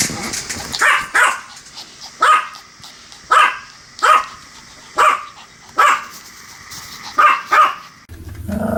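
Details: Pomeranian dog on 25 July 2015 barking steadily, roughly ten sharp high yaps about one second apart, some coming in quick pairs, with a quiet room background.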